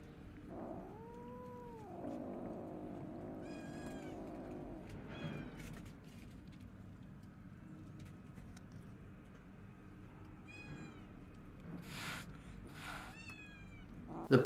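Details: Rescued stray kitten, abandoned two days in -11°C snow, now in a fenced area with other stray cats it fears; a clear arched meow near the start, then several short high mews and scattered clicks and knocks.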